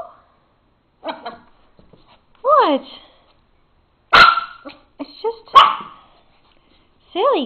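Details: Excited papillon barking and jumping at tomatoes on the counter; scattered sharp barks and rising-falling whines amid a woman talking to the dog.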